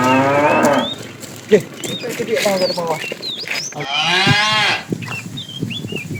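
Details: Herded tame cows heading to green pasture in the morning; a moo trails off at the start, overlapping calls and murmurs follow, then a second hoarse moo near the middle, with bird chirps throughout.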